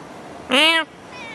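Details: A stray cat in Singapore gives a single loud meow lasting about a third of a second, with a clear stack of harmonics that rises slightly then falls, over faint background noise.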